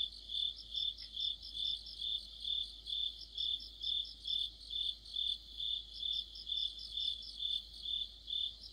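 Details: Crickets and other insects sing together in deep autumn, a regular high-pitched chirping repeated roughly twice a second, layered with softer rapid trills higher up, against faint low background noise.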